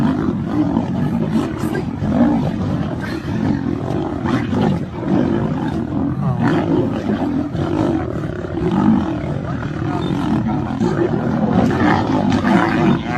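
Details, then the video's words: Lion entering another lion's territory, a dense, continuous low rumbling roar with grunting pulses throughout, loud and sustained; a person exclaims nearby. "when lion gets into another lion territory"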